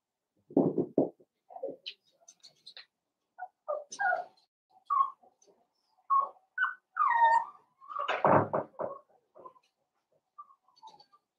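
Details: Five blenheim Cavalier King Charles Spaniel puppies, born around New Year's Day, in an indoor pen: low grunting yaps mixed with short squeaky whimpers and rising whines, irregular and overlapping, ending with a burst of louder yips and quiet squeaks.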